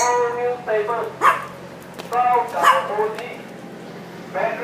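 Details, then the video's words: Schnauzer barking indoors: a series of sharp, high barks and yips in uneven bursts, some drawn out and whiny, with faint talking in the background. "Schnauzers Are Noisy!"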